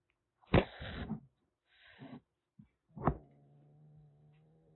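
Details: Aki, a calico kitten roughly six weeks old rescued as a stray in Kagoshima and kept in a cage, hisses threateningly: a loud breathy hiss, a softer second one, a brief pop, then a sharp spit sliding into a low sustained growl.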